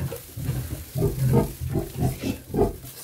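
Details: A nervous Vietnamese pot-bellied sow with newborn piglets, uneasy because a person came close to them; low, rhythmic grunts about every half second, soft and throaty, with rustling.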